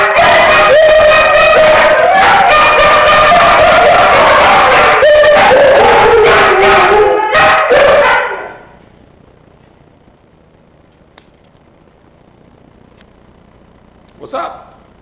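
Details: Howling Siberian Huskies in chorus, several drawn-out wavering howls overlapping for about eight seconds, then near silence with one short yelp at the end.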